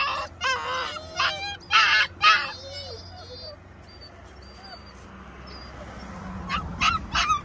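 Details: A stressed puppy gives a burst of loud, harmonic, arched yelps while cut off from its mother and the garden. A quiet stretch follows, then a few short sharp cries near the end.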